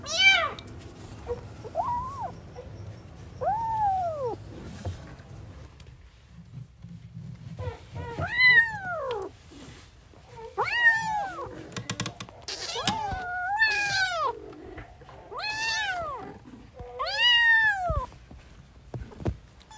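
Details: Newborn kittens playing keep up a busy series of high, arching meows, sparse at first and then closer together, over a low rumble and soft handling noise.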